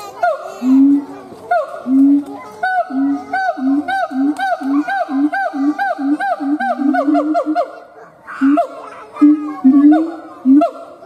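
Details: Siamang gibbon howl in a fast, steady run of short hooting notes over several seconds, broken by a pause and a few louder, rising calls near the end, with sharp clicks throughout.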